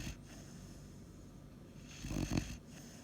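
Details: A Weimaraner puppy snores with low, rumbling breaths, building to a louder rasping snort near the end.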